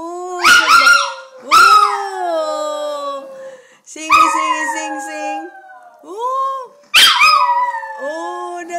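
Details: Chihuahua singing with its owner at home: a run of loud, high, wavering howls, each sliding down in pitch and fading, about five bursts spaced a second or two apart, mixed with a person's sung tones.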